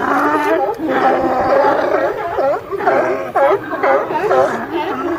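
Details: California sea lions calling as a group: a steady din of harsh, throaty barks with several clear rising-and-falling yelps standing out near the end, voices overlapping throughout.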